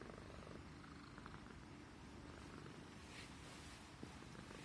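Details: A Persian Himalayan house cat purrs contentedly as its neck is stroked, a continuous low buzzing rumble with faint higher rustles in the middle.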